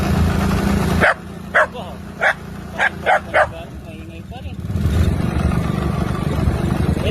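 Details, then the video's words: Pet dogs making noise while riding along a road, with about six short, sharp yapping barks in quick succession, then a steady rumble of vehicle engine and road noise, and a woman's voice. "ang saya saya ni lalapot niyo ang ingay sa daan"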